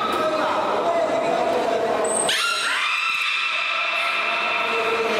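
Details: A beluga at an aquarium during public training gives steady whistled tones, then a thin high squeak and a jump to higher, buzzy notes.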